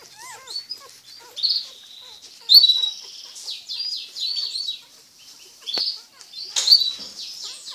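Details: Twelve-day-old Dalmatian mix puppies, their spots just starting to appear, squeak and whimper with thin, high-pitched peeps and a few soft wavering whines, in uneven overlapping bursts.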